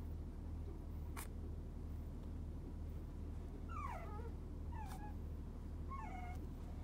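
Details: Fawn male puppy born 29.11.30, offered at a Japanese breeder, gives a few faint high squeaky whines rising then falling, clustered in the second half over a steady low hum.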